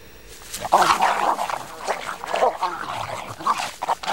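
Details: Rottweiler and German Shepherd fighting: harsh, rough barking bursts and snarls come in uneven clusters, loudest near the start and again around midway, with people talking in Czech in the background.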